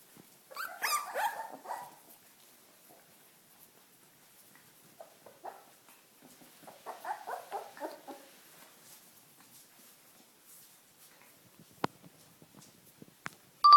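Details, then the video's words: First walk for Welsh Corgi puppies: two separate bursts of squeaky yelping and whining, one near the start and another after a quiet gap, then near silence broken by a couple of sharp clicks. "Welsh Corgi puppies"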